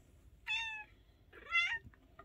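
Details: Two pet cats, a male tabby and a female tuxedo, playing together indoors; two short, bright, tonal meows about a second apart, the second rising then falling. There is quiet room noise between them.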